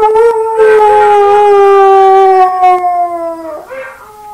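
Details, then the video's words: Buster, a pet dog, howls at himself in one long, steady, mournful tone that drifts slowly downward, then breaks off into a brief rougher yelp near the end. "Buster Howls at Himself Again"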